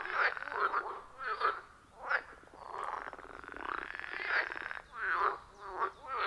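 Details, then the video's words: Wild frogs in chorus at a forest pond, recorded with an iPhone 14 Pro and Shure MV88+. Grating croaks sound in uneven bursts about once a second, with a longer drawn-out rattling call partway through. "30 Minutes of Frog Sounds at a Forest Pond"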